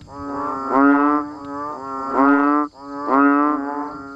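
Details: In the rain near Thai rice paddies, banded bullfrogs and frogs give three drawn-out, lowing nasal calls, each swelling for nearly a second and rising slightly in pitch, spaced about a second apart.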